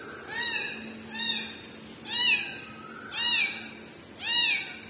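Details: Kitten crying for its mother cat, five loud, high meows each rising then falling, spaced about one second apart, with a faint steady hum between them.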